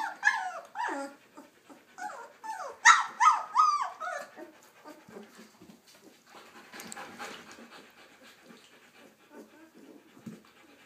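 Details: Puppies learning to walk let out a dense burst of overlapping high squeals and whimpers for about four seconds. Softer scattered squeaks and shuffling noises follow.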